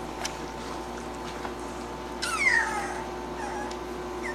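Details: Three-week-old domestic puppies, woken after feeding as their mother briefly jumps in, give a single high whine that slides sharply downward and fades within a second, set against a constant low electrical hum.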